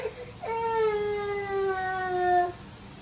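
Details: Pet cat at home, relaxing while the family's daughter is absorbed in eating pancakes; a single drawn-out meow of about two seconds, a steady tonal cry that sags slightly in pitch toward its end, over faint room hum.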